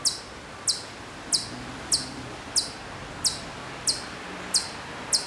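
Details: Repeated high, clipped chips from a faraway Hokkaido chipmunk at Maruyama, Sapporo, Hokkaido, September 2014, about one call every 0.65 seconds, with a faint low hum in the background.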